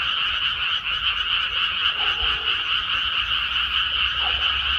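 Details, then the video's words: Short stretch of a crowded frog chorus from paddy fields after rice planting, countless overlapping rattly croaks blending into one steady, high, trilling drone. "개구리 우는 소리"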